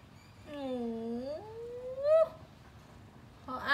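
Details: Pet cat learning to use a computer and unwilling to go back to sleep gives a drawn-out low meow that dips then rises into a brief higher cry, followed by another meow starting.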